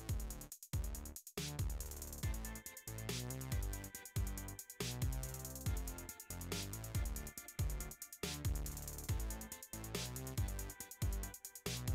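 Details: Electronic music with a pounding drum-machine beat and synthesizer, with no animal sound.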